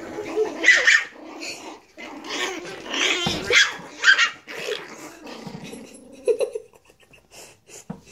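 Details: Several Chihuahua puppies playing, with rapid squeaky yaps and growls about twice a second in irregular bursts, fading into softer intermittent grumbles near the end.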